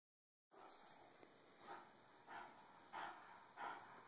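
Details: Cisco, a bulldog tired of being bullied, gives a series of short whimpering yips roughly every half second to second, each a brief broad burst of sound, with low steady background noise.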